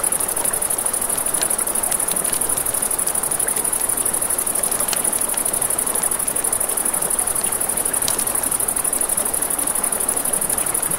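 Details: By a riverside campfire at night, crickets sustain an unbroken high, buzzy trill; frequent crackles and sharp pops from the flames and a low wash of running water accompany them.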